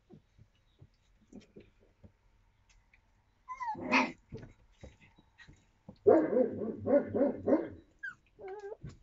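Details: Yakutian Laika puppies, 25 days old, recorded in April 2023: scattered soft clicks and short squeaks, then a noisy burst near four seconds and a busy run of rough, growly yaps from six to eight seconds, with thin rising whines.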